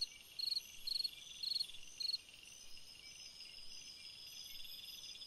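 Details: Cricket singing on a summer night: four short pulsed chirps about every half second in the first two seconds, then only a steady high insect hiss.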